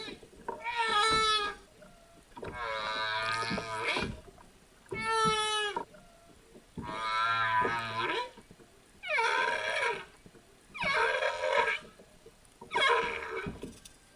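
Humpback whale calls: drawn-out, harmonic moans and whoops, repeated roughly every two seconds.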